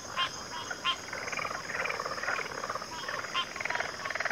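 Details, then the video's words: Backwater frog chorus: overlapping rattling, pulsed croaks in uneven bursts, with short louder knocks standing out near the start and again later, over a continuous high, steady hiss. "Backwater Chorus, & Frog Chorus"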